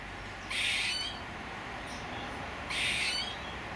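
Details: Squirrel uttering two short, breathy, hissing calls about two seconds apart, with quiet background noise between them.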